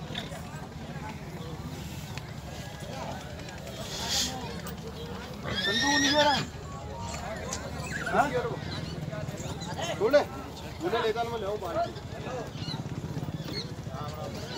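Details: Marwari horse at the Pushkar Fair horse market, giving a loud, shaky whinny that rises and falls over about a second, with hoof clops, crowd chatter and steady market hubbub around it.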